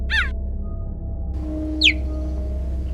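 A cheetah gives two short, high, bird-like chirps about one and a half seconds apart, the second sliding downward, over a steady low hum.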